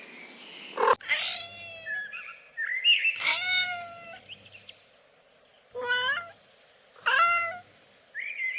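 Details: Playful kittens on green grass mew in bright, wavering cries, several quick ones in a row, with a sharp knock at the start and soft thin chirps between.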